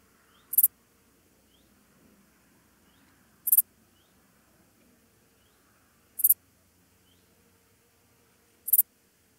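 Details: Meadow Dark Bush-cricket (Pholidoptera fallax) at Pfaffstätten, Austria, 28 August 2021: short, sharp, high-pitched chirps spaced roughly every two and a half to three seconds, four in sequence over an otherwise quiet background.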